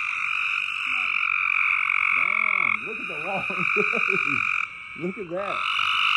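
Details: Loud frogs in a continuous high trilling chorus, overlaid by low wavering voice-like sounds in the middle, and a brief dip in loudness near the end.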